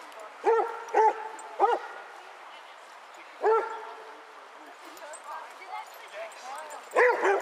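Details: A pack of 22 Basset Hounds on a February 2014 walk in Hazlehead Park, Aberdeen: three quick resonant barks, another after a pause, then a final bark, over soft chatter and background noise.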